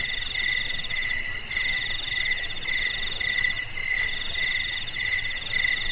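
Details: Crickets chirping melodiously on a quiet, dark night: several high, shrill pulsed chirps layered at different pitches, throbbing steadily about twice a second, with no other sounds.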